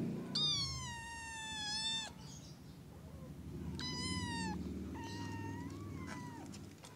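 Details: Kitten in the early morning with three clear, drawn-out meows, the first long and level, the second shorter, the third gently rising and falling, over a low steady hum.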